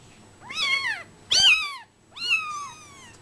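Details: Brown Bengal kittens, 24 days old, give three high, thin meows about a second apart, each a harmonic-rich cry that rises briefly then slides downward, the middle one sharpest and loudest, over quiet indoor background.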